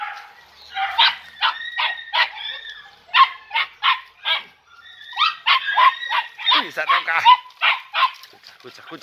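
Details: Podenco Andaluz puppies, three and a half months old, from the last litter of Killo and la Rabiosa, on their first time in the picadero; rapid high yelping barks in quick irregular bursts, several voices overlapping, with a man's exclamations.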